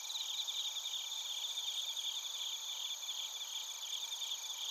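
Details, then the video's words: Suzumushi and other crickets calling together in Narita, Chiba, Japan: a constant shimmering wall of high trills with rhythmic pulses, several singers overlapping without pause; recorder a TASCAM Portacapture X8. "スズムシとコオロギの鳴き声 - Chirping of crickets"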